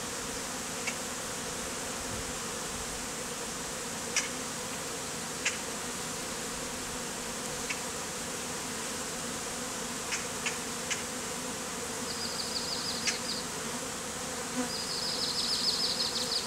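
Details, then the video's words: Bee beard of honey bees hived out of a statue, performed in hot conditions; steady humming drone throughout, sparse clicks, and thin high whistling tones near the end. "BEARD OF Honey BEES"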